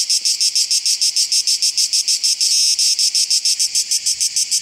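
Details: Song of Cicada orni, recorded in July 2015 at Oasi le Chiesuole: shrill, rasping pulses repeated quickly and regularly, about five each second, with one brief unbroken stretch midway, loud and clean against a quiet background.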